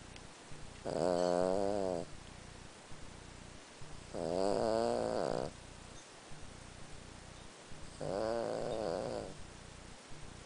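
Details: An elderly Lhasa Apso, 14 years old, snores while sleeping at night: three long, harsh, vibrating inhalations about three and a half seconds apart, each a little over a second long, separated by soft breathing.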